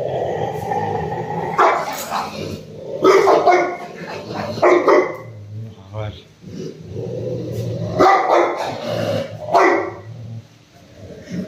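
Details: Rottweiler named Roxy, angry and attacking its owner during play with a ball: several harsh bark bursts, some growling, scattered through an ongoing man's voice talking over the dog.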